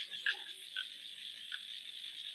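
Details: Frogs calling outdoors at night-time distance behind an online call, heard as a few short, bright, chirpy croaks, one near the start, then two more spaced about half a second to a second apart, over a steady hiss.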